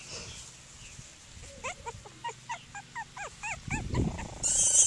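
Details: Cockapoo puppies, seven in the litter, playing outdoors on grass; a quick string of short, high, bending whines and yelps, about seven in a row, then a rough burst of rustling and a loud hiss of noise.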